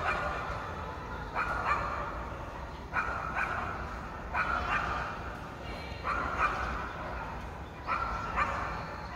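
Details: Pet dog left alone in an apartment for about three hours while its owner was away, barking repeatedly in paired bursts roughly every one and a half seconds, mid-pitched and harsh, echoing indoors over a steady low background hum.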